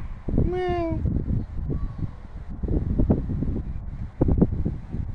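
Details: Cat giving a single short, clear meow that dips slightly in pitch, followed by low rustling and handling noises.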